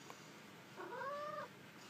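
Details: Pet cat being trained indoors to sit and give a paw for treats, like a dog; a single drawn-out meow, rising then level and slightly falling, with a woman speaking Japanese commands before and after.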